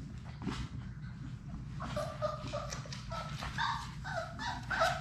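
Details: Labrador Retriever puppies from a litter of six at play in a play room, quiet at first, then a run of short whining squeals and yips from about two seconds on, over steady low rumble.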